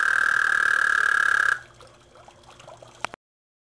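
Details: A frog at a backyard pond croaks with a loud, steady, high trill that stops abruptly, leaving faint water sounds; recorded 2010.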